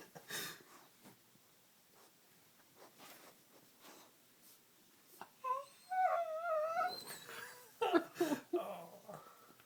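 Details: Dog making funny noises while playing with a person indoors: faint snuffling and scuffs at first, then from midway a run of high, wavering whines and squeals that rise and fall, with brief human speech.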